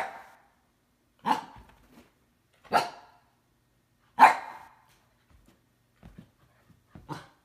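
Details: Siberian husky stamping and calling as it tries to wake a resting cat that fends it off; three strong husky barks about every second and a half, followed by softer muffled yips and a final bark.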